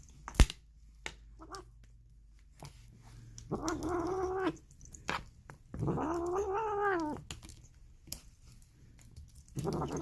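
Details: Polydactyl domestic cat making weird, hoarse, drawn-out meows indoors: two long wavering harmonic calls, the second rising and falling in a warbling way, with a faint low hum and sharp clicks between calls.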